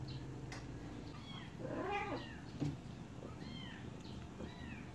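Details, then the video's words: Baby kittens drinking milk give several high, thin mews in quick succession, each a short arched cry, with quieter rustling between them. "Help baby kittens drinking milk"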